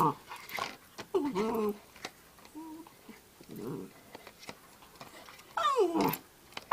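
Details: Puppy making funny noises indoors: several soft, wavering, harmonic whines and grumbles over a low background hiss, ending in a louder sliding whimper.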